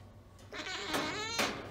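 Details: Blue, a female Siamese cat and former stray found in Kingston, awaiting adoption in November 2019 and described as vocal and people-needy, gives one drawn-out, wavering, harmonic-rich meow lasting about a second, rising then falling, with a quiet background.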